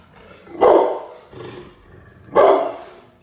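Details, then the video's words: Pit bull dog barking very loud and angry: two deep, forceful barks about two seconds apart, with a softer bark between them, against a quiet background. "Sound of Pitbull dog barking very loud, angry, loud"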